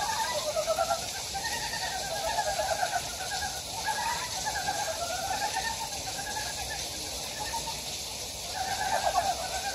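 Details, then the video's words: Frogs calling in the wild along a valley stream on Gyejoksan in Daejeon's Daedeok-gu, South Korea; many voices produce continuous bursts of quick, throaty pulsed croaks, with a steady hiss behind them. "계족산 계곡에 자연의 개구리 울음소리"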